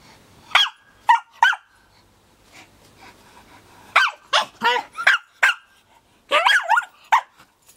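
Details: A Hokkaido (Ainu) dog training for a brown bear encounter with a real brown bear paw gives sharp, high barks in quick, uneven bursts, some bending into yelps.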